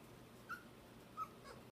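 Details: Samoyed puppies indoors in a living room with adult dogs after lunch, Prince Edward Island, Canada, August; two short high thin whimpers about 0.7 seconds apart over quiet room hum.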